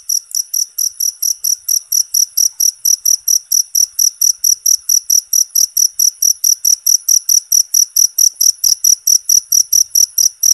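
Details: Cricket chirping loudly and steadily, meant as a natural sound for training songbirds; sharp high chirps repeat about four times a second in an even pulse, with no other sounds.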